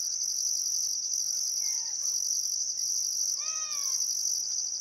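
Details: At a summer sunset on the Barcoo River, Welford National Park, Queensland outback, crickets keep up a constant high-pitched hum and pulsed upper trill; a clear arching bird call rings out near the end.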